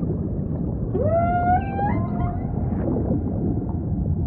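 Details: A single humpback whale song unit in ocean ambience: a clear harmonic upsweep rising then leveling off into a wavering tone for about a second and a half, over a soft deep rumble.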